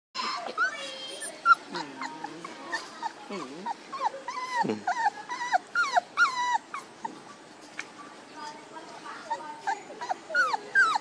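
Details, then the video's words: One-month-old puppies, just over a month of age, whining in overlapping high, wavering and arching cries from several voices, with some short rising and falling yelps mixed through the chorus. "Puppies Bron 1 month 2day"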